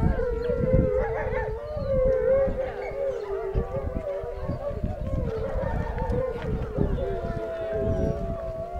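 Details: At a wolf park, coyotes start howling and several gray wolves join in, long steady tones overlapping and sliding slightly up and down.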